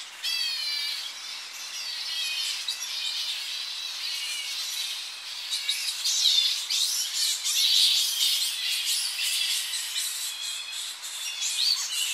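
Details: Coastal roosting colony of Tonga flying foxes in the early morning, recorded close: a dense, unbroken chorus of high-pitched shrill squeals and wavering screeches, growing louder and busier in the second half.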